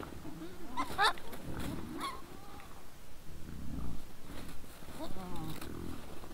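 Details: Wild boars at a trail camera in the evening, 17 December 2022, 20:17: low grunting mixed with short, sharp squeals and wavering whines among the group.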